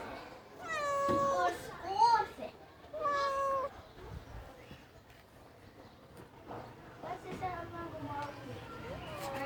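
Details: Cat inside a washing machine, meowing repeatedly: several drawn-out, slightly falling meows in the first few seconds, then softer, fainter meows later, with human speech in the background.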